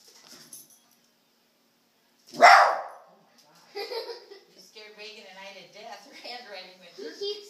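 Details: Dog barking at a remote control helicopter: one sharp, loud bark, followed by several seconds of people talking.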